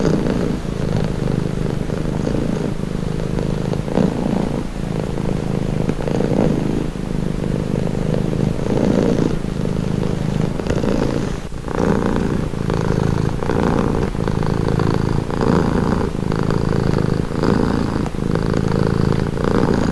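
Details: A cat purrs continuously for relaxation, a low vibrating drone that rises and falls with each breath, the rhythm holding steady throughout with occasional brief rustling.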